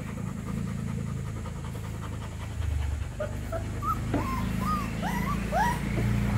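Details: Three-week-old Rottweiler puppy making a series of short, rising squeaks in the second half, repeated roughly every half second, over a steady low rumbling hum.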